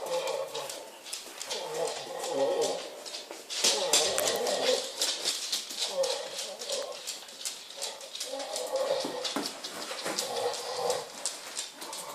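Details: Female Pit Bull making a strange, weird noise while holding a ball in her mouth: muffled, nasal moaning whines in drawn-out bursts, with shuffling and clicking sounds between them.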